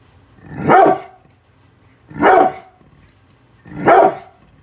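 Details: Brindle pit bull named Bullet guarding the house against construction workers outside, giving three loud, harsh barks spaced about 1.5 seconds apart over a low background hum.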